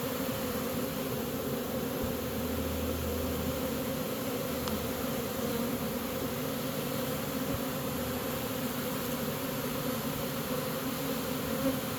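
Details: Steady droning hum of a honey bee swarm as the bees walk into a new home after capture, with a brief deep rumble in the background early on.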